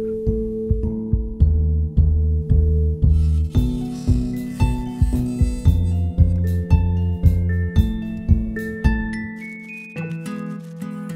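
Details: Mallet-percussion music, glockenspiel and marimba tones struck in a steady repeating pattern about twice a second, climbing higher toward the end, with no animal sound heard.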